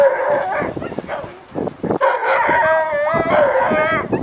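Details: An Alaskan Malamute named Sojou, with her mother Sola and other sled dogs, at training in Farren Park, Ontario, Canada, 24 October 2020. Drawn-out, wavering whines and howls are broken by a few brief yips, and several dogs call at once.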